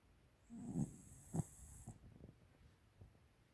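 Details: Thirteen-year-old female American Cocker Spaniel named Tiara snoring: one short low rasping snore followed by soft snorting breaths fading away in a quiet indoor setting.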